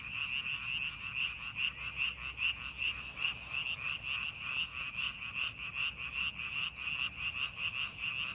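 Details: Frogs calling from a rice paddy being prepared for farming: a dense chorus of high, nasal croaks pulsing about two to three times per second, with a steady faint hum underneath.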